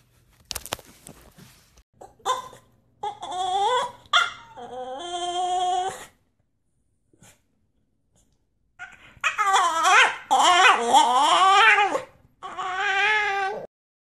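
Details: French Bulldog puppy in a compilation of funny moments, giving drawn-out whining, howling cries with wavering pitch in several long bursts separated by silent gaps, indoors in a small room.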